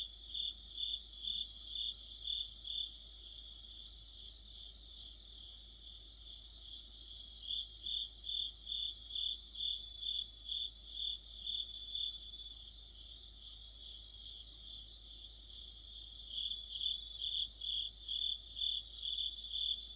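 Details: Deepening autumn chorus of crickets and other insects near a streetlight; high ringing pulses repeat about twice a second, dipping briefly mid-clip, with clusters of fast chirps from another caller layered on top.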